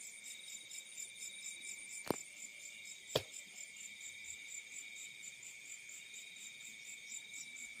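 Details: A field cricket chorus at night: a high, steady, pulsing trill with layered tones, broken twice by sharp clicks.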